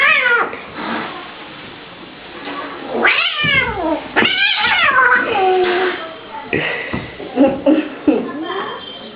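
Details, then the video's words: Persian cat fighting an Indian cat: sharp rising and falling yowls and hisses in quick bursts, mixed with a man shouting excitedly nearby. "Persian cat fight with Indian Cat"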